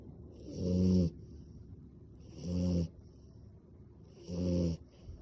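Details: French Bulldog sleeping with its eyes open, snoring loudly: three deep, buzzy, rasping snores, each about half a second long, spaced roughly two seconds apart, with quiet breathing between them in a calm indoor setting.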